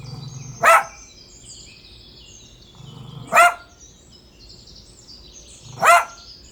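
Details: Single dog giving three abrupt, ringing barks spaced roughly two and a half seconds apart. A low hum is heard faintly before each bark, over a quiet outdoor background.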